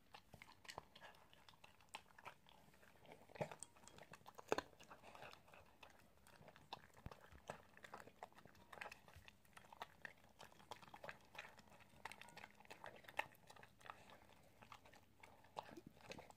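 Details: An Italian greyhound eats in a small indoor room, recorded as ASMR. Steady rapid crunching and biting clicks run throughout, with a few louder cracks standing out against a soft hum.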